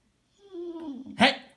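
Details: Pet dog indoors, scolded for talking back, gives a drawn-out moaning whine that sags slightly in pitch with rich harmonics, then breaks into a short, sharp, bright yelp at the end.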